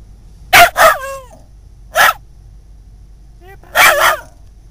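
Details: Scottish Terrier responding to the word "uh-oh", which it dislikes: short loud barks with a brief falling whine, a single bark after a pause, then a last doubled bark.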